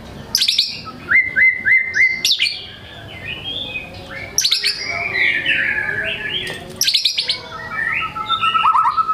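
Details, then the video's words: White-rumped shama in full song, showing off varied material to prompt quiet birds to sing: loud sharp notes, repeated rising whistles, scratchy chatter and a final run of descending notes. "MURAI GACOR BONGKAR MATERI, PANCINGAN MURAI MALAS BUNYI AGAR GACOR"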